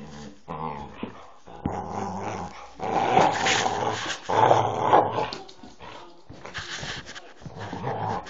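A Staffordshire Bull Terrier vocalizes in a run of grumbling growls, yips and whines.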